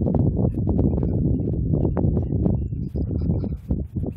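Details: Close, loud pounding of Thoroughbred hooves on a training track as a race horse works a half mile, a rapid continuous thudding that thins out and fades in the final second, light bird chirps faintly above.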